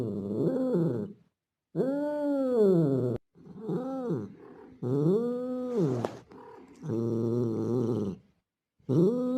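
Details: Male street cat resembling a Bengal making mating calls toward a female in heat. Softer, shorter arched yowls come in uneven succession, with low grumbling moans in between.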